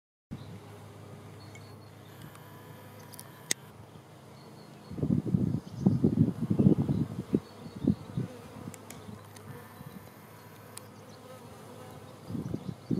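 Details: Honey bees swarming on the leg of a garden chair, later moved to a beehive: a low droning hum that swells into dense, rough buzzing bursts around the middle of the recording, then eases off and rises again briefly near the end.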